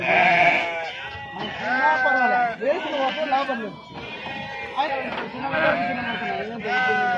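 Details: At the Pebbair sheep and goat market, sheep being unloaded give a run of tremulous bleats close together, mixed with the voices of people nearby.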